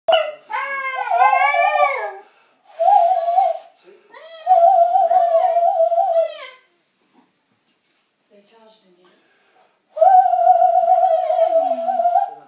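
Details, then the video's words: Milly the dog sings along with a person indoors in a small room: wavering tonal howls with rich harmonics, in three bursts split by short pauses, then a quiet gap before a last long steady howl. "Milly singing with dave"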